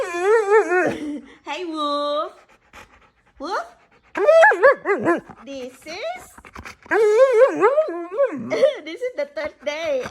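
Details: Husky malamute mix indoors on its third day in a new home, answering its owner with wavering, howl-like vocal sounds that rise and fall in pitch, in several bursts between the owner's spoken questions.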